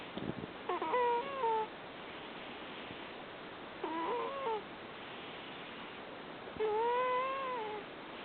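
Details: Rescued cat asleep at a cat shelter in Fukui, Japan, snoring 'puu puu'. Three clearer, whistling, slightly wavering tones, each about a second long and about three seconds apart, over background hiss, with one brief tap at the start.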